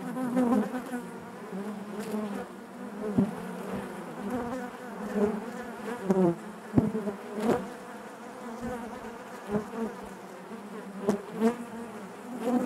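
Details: Honey bees buzzing inside their hive, a dense steady hum with a strong drone band and stacked overtones, swelling and fading in waves, with brief sharp clicks and knocks scattered throughout.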